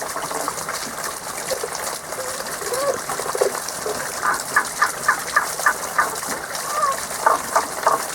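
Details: Seasonal song of unseen frogs: after some softer notes, a clear regular series of ringing calls about three per second, medium-high in pitch, with steady flowing water beneath.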